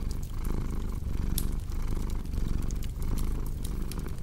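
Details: Low, vibrating purr of a cat rising and falling rhythmically with its breaths, accompanied by cozy fireplace crackling with bright intermittent pops.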